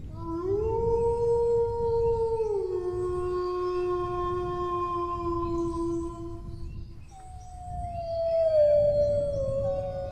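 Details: A single dog's howl rises into a held tone, drops lower after two and a half seconds, then a fresh howl begins around seven seconds and glides downward; soft low background noise.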